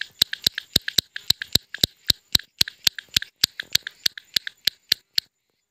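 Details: Clicking notes from an Indian frog at night, around nine o'clock with a light drizzle falling: about twenty sharp, slightly ringing clicks spaced roughly a quarter second apart, then silence.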